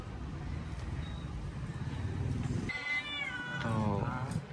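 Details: Domestic cat during a home grooming session, being rubbed dry with a chamois cloth after bathing; after a stretch of Indonesian speech, two drawn-out, wavering meows with a falling tail close the clip, over low background murmur.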